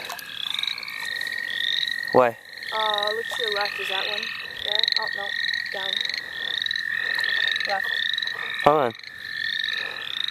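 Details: Frog chorus in the St. Olaf College Natural Lands during a frog-catching outing: a steady, high, unbroken trill runs underneath quick rising chirps repeated in overlapping series, with short human voice bursts near two and nine seconds.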